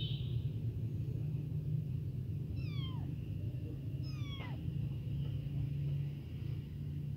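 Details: Tiny newborn abandoned kitten crying nonstop to call its mother, hungry for milk: two high, wavering meows that slide downward in pitch, about a second and a half apart, over a steady low rumble.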